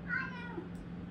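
A Maine Coon gives a brief, clear meow that starts high and slides downward.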